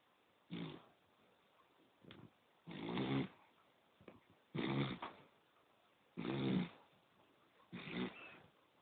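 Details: Sleeping poodle snoring indoors: five rasping, broad snores with a low buzzy core, roughly one every one and a half seconds, separated by quiet breaths, with no other sounds.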